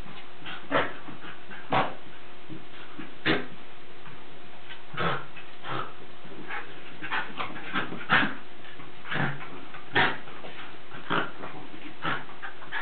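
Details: Playing Lakeland Terriers give scattered harsh growling barks and yelps, each burst brief and broadband, spaced irregularly about a second or more apart, with a constant faint background hum.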